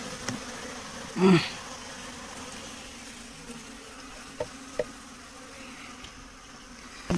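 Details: Honey bees at a beekeeping site give a soft, continuous low hum. One short louder buzzing burst comes early, then a few faint clicks and knocks over the steady drone.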